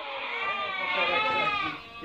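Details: Merino sheep for import from Hungary, chosen over by a buyer from Türkiye, produce a strained, quavering, cry-like bleat that swells in the middle and fades near the end, with other sheep faintly overlapping.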